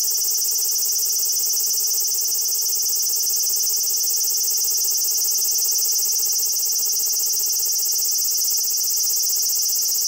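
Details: Large brown cicada singing the sustained "giiii" drone it makes while staying still, captured with a compact camera. The shrill, grating buzz is even and continuous from start to finish, with some distortion at its loud high pitch.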